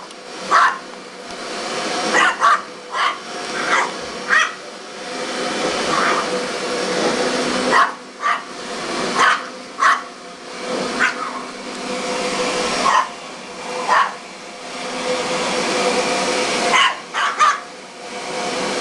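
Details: Pet dog chasing a running vacuum cleaner indoors, giving short sharp barks in irregular bursts, some spaced a second or two apart, over the steady roar of the vacuum motor.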